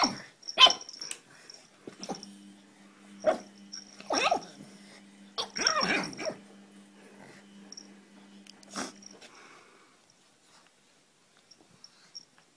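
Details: Pug barking in a funny compilation: sharp, broadband barks and yips burst out at irregular intervals over about nine seconds, with a steady low tone humming underneath, then quiet with faint small clicks at the end.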